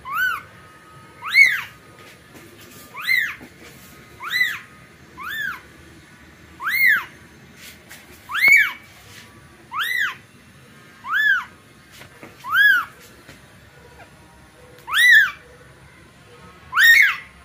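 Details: Newborn kitten calling for its mother: loud, high, arching mews with rich harmonics, each rising then falling, repeated roughly every one to one and a half seconds, about a dozen calls, over a faint low background hum.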